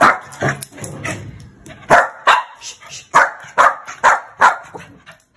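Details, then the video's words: Angry one-year-old female Shih Tzu barking loudly: about eight sharp, harsh barks in uneven bursts over five seconds, some spaced closely and others after short pauses. Little else is heard. "How Loud Do Shih Tzu Bark | Angry Shih Tzu"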